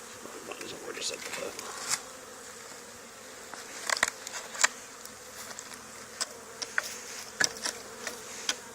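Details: Honey bees swarming onto the wall of an old barn, two days after a nearby hive cutout; a constant wing hum sits beneath frequent sharp clicks and taps, likely bees striking surfaces or handling noise.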